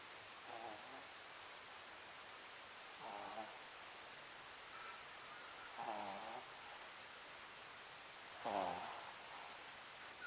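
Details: Sakura, a pet Papillon dog, asleep indoors: soft rasping snores drawn in roughly every two to three seconds, four in all, quiet against a faint room hiss.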